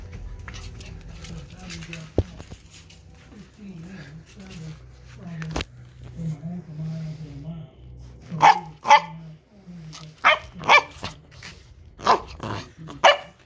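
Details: An 11-week-old female Pembroke Welsh Corgi puppy, playing under furniture, gives a run of short, sharp, high barks after some low talking.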